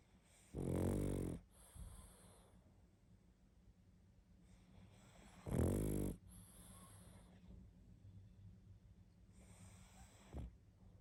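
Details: A pug asleep and snoring hard, giving deep rattling snores about every five seconds, each trailed by a hissing breath out, the third snore faint and short.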